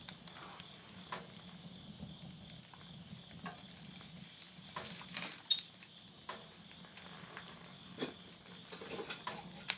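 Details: At midnight in September 2020, at the end of summer in countryside Yurihama, Tottori, Japan, a steady, high insect chorus hums beneath the sharp pops and crackles of a wood stove fire.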